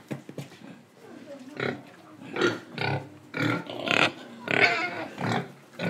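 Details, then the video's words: Pig in Indonesia, breathing and eating: deep rhythmic grunting, about one and a half per second, rough and resonant, growing louder toward the end with snorting breaths. "Pig Sound Effects Oink Oink, Breathing & Eating"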